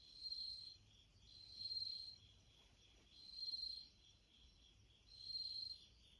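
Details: Bell cricket heard through a screen door next to a front entrance as a cat listens; high, bell-like ringing pulses, each lasting about half a second, repeated about every one and a half to two seconds, with faint low background hum.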